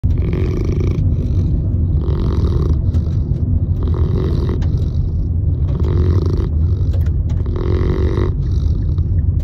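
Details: Sleeping Saint Bernard puppy snoring loudly in a car, rasping snores repeating roughly every two seconds over a constant low engine rumble, with faint clicks of the turn signal.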